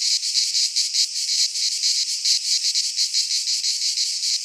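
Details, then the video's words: High electric buzzing of cicadas singing in a Greek pine forest at midsummer, swelling and fading in rapid beats roughly three per second. "Cicadas singing in midsummer - Nature sounds from the Greek fauna - Sounds of cicadas"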